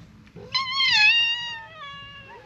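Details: Stray cat in a gathering crowd of strays gives a loud, drawn-out meow that swells and slowly falls in pitch, followed by a fainter, shorter meow at the end, over low background rumble.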